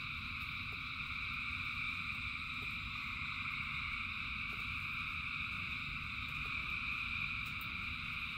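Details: Frog chorus in rain: countless callers merge into a continuous, even shimmer of high trills that never pauses, over a deep steady patter of falling rain.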